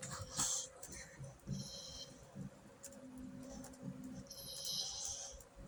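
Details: Pet dog making odd noises: short, high, squeaky whine-like bursts near the start, around one and a half seconds, and a longer run toward the end, over a steady low hum indoors.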